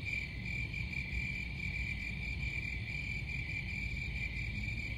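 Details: Short stretch of cricket song, a thin high-pitched pulsing note held steadily, with low rumbling noise beneath.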